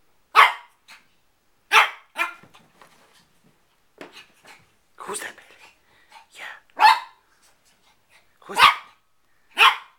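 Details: Four-month-old male Shih Tzu puppy playing with his reflection, giving loud high yapping barks at irregular intervals of one to two seconds, with softer snuffles and small yips between them.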